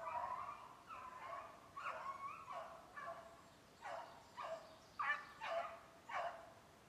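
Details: Kennel beagles in Maine chasing snowshoe hare on a July conditioning run, steady series of distant chopping bay notes roughly every half second, each short and bright with a ringing tone, forest quiet behind.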